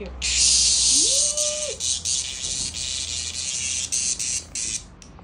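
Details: Cicada in Japan, meeting a playful cat, droning in a harsh, sustained high buzz that stutters into brief pulses toward the end; one faint drawn-out wavering call sounds underneath early on.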